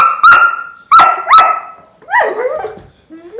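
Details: Doberman Pinscher household where an old female Doberman slowly eats her food to tease seven-month-old Luna; loud, high whines rise sharply three times, then a longer wavering whine trails off, with a person's voice nearby.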